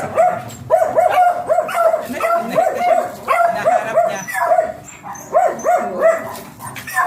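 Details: Beagle barking during a stud session: loud, bright barks and yelps come in quick bursts of two to four, with short pauses between the volleys. A faint high whine sits in the background.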